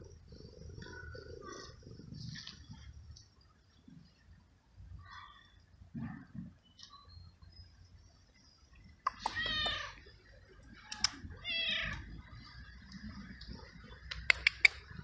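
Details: Abandoned feral stray cat in a garden, meowing unusually while being fed and petted; loud harmonic meows arrive in a cluster around the middle and again near the end, over quiet background rustling and low noise.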